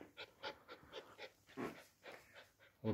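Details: Samoyed panting indoors, quick rhythmic breathy puffs about four per second, with a steady faint high hum in the background.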